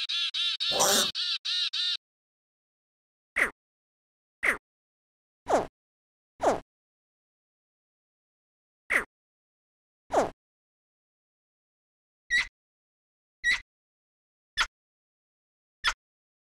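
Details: A frog's calls, offered as examples of high- and low-arousal calling: an opening buzzy harmonic call of about two seconds, then roughly ten short, sharp notes spaced irregularly about a second apart over near silence.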